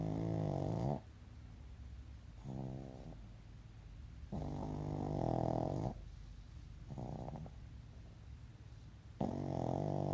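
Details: Sleeping pug snoring: deep, rattling, drawn-out snores in long bursts of about one to two seconds, separated by quieter breathing pauses, indoors.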